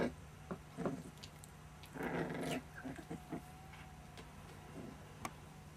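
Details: Playing puppies about one month old at a kennel give brief growls, small yelps and a thin whine, with a steady low hum in the room.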